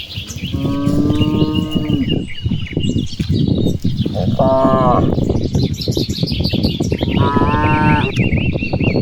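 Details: Dozens of cattle grazing and playing on a wide rice field on an afternoon under clear sky, calling back and forth; two long harmonic moos with a short one between, steady low field noise, bird chirps in distant trees.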